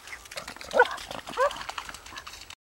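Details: A beagle barking at ducks outdoors gives two sharp, mid-pitched barks about two-thirds of a second apart over steady outdoor background noise.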